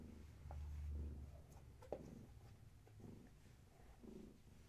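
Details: Indoors in the evening, a kitten of Gaia, a long-haired tabby, purrs softly: a low rhythmic rumble pulsing with each breath, broken by a sharp click near the two-second mark and light handling noises.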